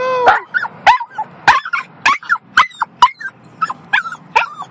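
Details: Yorkshire Terrier, one year old, screaming in a car: a quick run of about ten sharp, squealing yips, roughly two per second, each bending up then down, with a person speaking between them.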